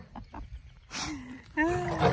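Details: Female Rottweiler warning off a male Schnauzer that keeps trying to mount her as she retreats; after a woman's praising voice, a loud harmonic snarling growl rises near the end, with quieter low grumbles before it.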